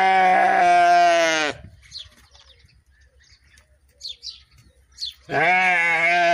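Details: A sheep's harmonic bleat opens, then stops after about a second and a half. Faint chirps follow in near silence, and a second strong, nasal bleat starts near the end.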